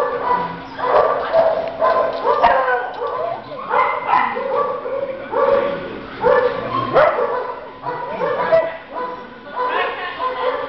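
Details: Brooklyn, a young male Border Collie Spaniel mix, plays with his dog friend Wendy; short broad barks come in bursts roughly every second or two, while a woman speaks to him in a high, affectionate voice.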